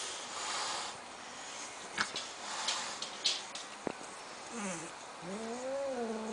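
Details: Domestic cat with asthma that honks like a goose when mad, reacting to a new kitten indoors: soft rasping hiss bursts and clicks, then a wavering, rising-and-falling honk-like cry at the end.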